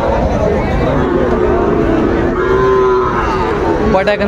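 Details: Calves of the Sahiwal breed at a crowded Bangladeshi livestock market, September 2024, give a low drawn-out moo amid dense human chatter, with a sharp knock near the end.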